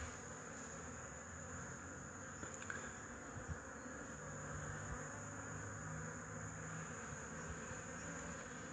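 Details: Honey bees recorded on 8 March 2015: a steady, low droning hum of many bees, unbroken throughout, with a faint hiss above and no other clear sounds.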